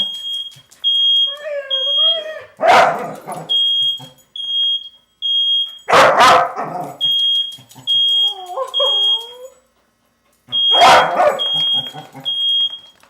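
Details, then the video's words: Pet dog Coco going wild at a sounding smoke alarm: wavering whining howls alternate with three loud explosive barks about three to four seconds apart, under a continual high-pitched beeping alarm. "Crazy Dog hears the fire alarm"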